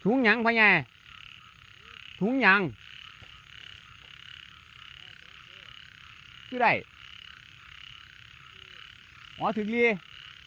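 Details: After rain in open rice fields, frogs call at about 7 a.m.: four loud, rich croaks come several seconds apart, each bending sharply in pitch, over a constant high insect drone.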